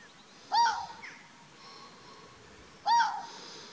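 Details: Fox barking at Chapmans Pool, Dorset, on 7 June 2016: two short, sharp, hoarse barks a little over two seconds apart, against a quiet open-air background with faint hiss.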